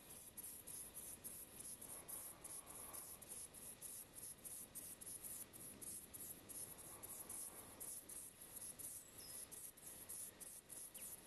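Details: A saddle-backed bush-cricket (Ephippiger ephippiger) gives its song: brief, very high, raspy chirps repeated at a fast, regular pace, over soft low rumbling background noise.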